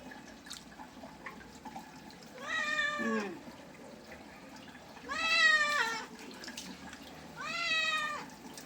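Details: Cat in the bath, repeating three loud, harmonic, drawn-out meows roughly every two and a half seconds, the first dropping in pitch at its end; dripping water in the background.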